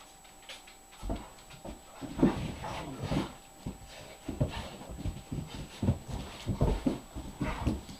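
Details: A six-year-old senior Great Dane, available for adoption, plays with another dog: low grumbling growls and huffing pants in irregular bursts, some soft whimpering tones, and a faint steady electrical hum beneath.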